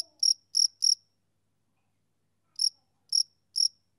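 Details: Male cricket on a summer evening: two bursts of three clear, high, pulsed chirps separated by about a second and a half of silence, with no other sounds.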